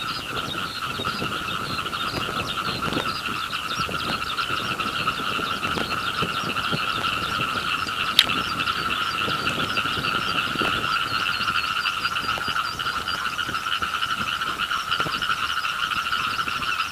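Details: Frogs calling over a rice paddy beneath a singing skylark, the chorus building in loudness: a dense, unbroken mass of rapid trilling croaks that holds steady throughout, with faint rustling and clicks underneath.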